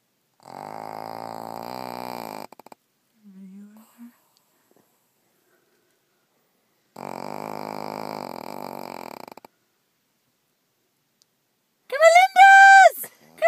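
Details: Loudly snoring pug: two long, rattling, buzzy snores about two seconds each, separated by a short grunt and silence, then a brief rising-and-falling tonal sound at the end.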